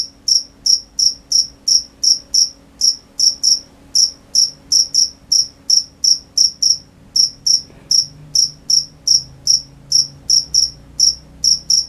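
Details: Crickets at night keep up a long series of shrill, piercing chirps, about two to three per second, with one short pause near eight seconds and a faint low rumble late on.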